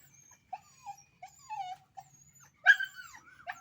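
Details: Puppies fighting in a natural setting: high whimpering whines sliding downward, short squeaky yelps and one sharp louder yelp near the end, over a faint low hum.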